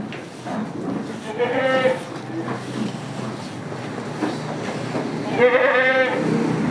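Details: Goats on a village farm keeping Damascus and Jamunapari breeds: two loud, wavering bleats, the first around the second-and-a-half mark and the second near the end, over steady rustling farm background noise.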